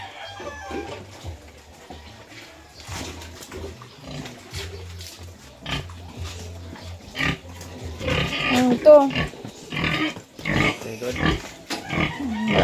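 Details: Sow squealing as she is moved: quiet stretches with a low steady hum and soft voices, then a rush of loud, harsh, broadband squeals and screams in the second half.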